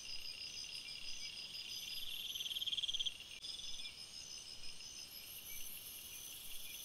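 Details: Night forest chorus of crickets: overlapping high trills and rapid pulsed chirps, one stronger pulsing burst peaking mid-recording before a brief dip, then a very high shrill trill joining near the end.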